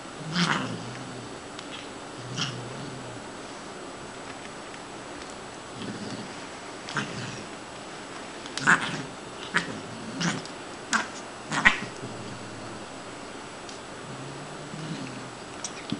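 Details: A female Siamese named Shiloh, rescued as a kitten from behind a grocery store, calls repeatedly while at play: a string of short, strained cries spread irregularly over sixteen seconds, clustered toward the middle, with faint handling noises.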